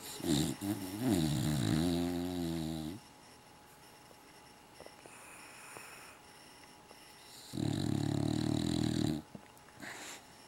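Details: English Bulldog, male, asleep, snoring until he wakes with cotton mouth; loud, rattling, harmonic snores lasting about three seconds, a quiet gap with small clicks, then another long, buzzy snore, and a spoken word at the end.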